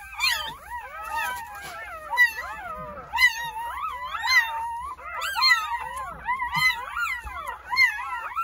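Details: Newborn Jindo puppies, part of a litter of nine born on New Year's Day at a countryside home, cry in overlapping high squeaky whines that rise and fall, several voices at once, with a faint low hum beneath.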